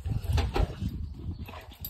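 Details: Male Rottweiler, finally let out for a walk and very happy, making low rough grunts and huffs in a quick burst, then quieter rumbling while his owner talks to him.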